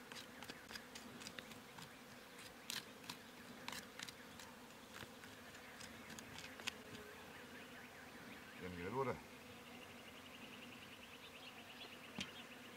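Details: Swarming honey bees from a wild hive being pulled out of a mountain bush in an Iranian village area, the bees attacking; a constant droning hum with scattered clicks and a short burst of human voice near the end.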